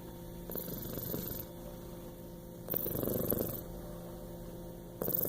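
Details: A male Bengal cat snores softly, each low rasping breath coming roughly every two seconds over a steady hum.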